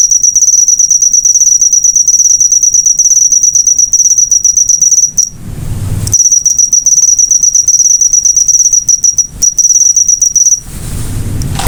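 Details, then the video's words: Cricket chirping used for training cage birds: a high pulsed trill that stops twice, replaced by bursts of broad rushing noise, then resumes. "Masteran burung suara jangkrik mewah yg paling di cari"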